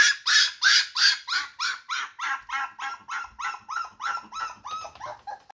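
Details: A single Shiba Inu puppy crying at 5am, wanting its mother, indoors: a fast run of about fourteen sharp, whiny yelps, roughly three per second, each bright and slightly falling, fading a little toward the end.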